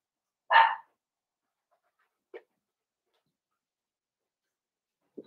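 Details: Blenheim Cavalier King Charles Spaniel puppies, a litter of five born at New Year's, playing with their mother Paris in an indoor puppy pen. One short, sharp yappy bark, followed by two faint brief yelps in otherwise quiet surroundings.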